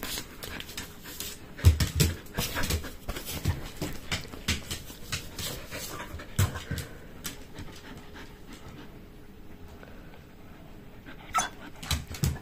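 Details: Shetland Sheepdog indoors, staring at a box of jerky and demanding treats, panting in quick, uneven breaths about three per second, with soft huffs and faint clicks between them.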